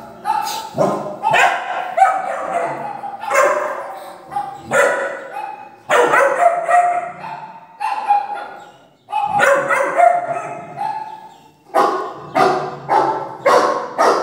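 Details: Doberman puppy, three months old, reacting to fake barking from a speaker with rapid strings of sharp, ringing barks, grouped in volleys separated by brief pauses, some yelping notes rising high.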